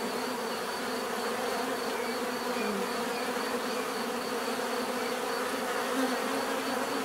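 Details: Steady droning of many bees, humming evenly for several seconds with slight swells, one individual buzz sliding lower near the middle, and a faint constant high whine.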